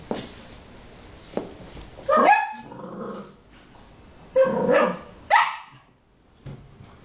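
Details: A pet Cavalier King Charles Spaniel called Patrick, busy catching stress-ball fragments, gives three sharp, loud barks with growly tails, separated by short pauses.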